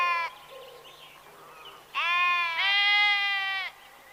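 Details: Herbivore listed among sheep, goat and ram gives a brief clipped bleat, then, after a pause with faint background calls, one long wavering bleat of nearly two seconds that sounds bright and tremulous.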